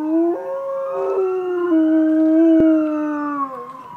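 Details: Dog howling along with a siren: one long, sustained, tonal howl lasting over three seconds. Its pitch holds steady, then steps up and down in small jumps before trailing off.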